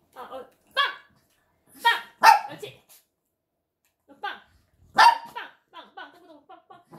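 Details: Shih Tzu barking: sharp, harmonic yaps come in irregular bursts over seven seconds, the loudest two about three seconds apart, followed by softer short vocal sounds toward the end.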